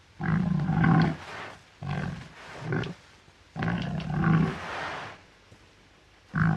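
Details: Deep, hoarse grunts of a wild boar come in a run of five or so short, uneven bursts with brief gaps, low and rasping with noisy upper tones.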